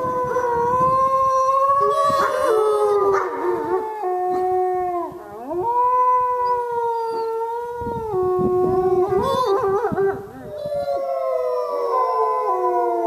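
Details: Wolves howling together at the Lakota Wolf Preserve at Christmas: several long, overlapping tonal howls at different pitches weave and slide, with one voice dipping sharply near the middle before the chorus swells again.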